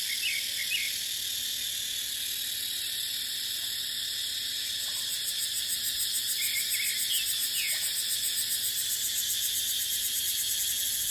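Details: Cicadas buzz in a steady, piercing chorus in dry dipterocarp forest during the dry season. A rising shimmer comes midway, and small bird chirps are scattered throughout.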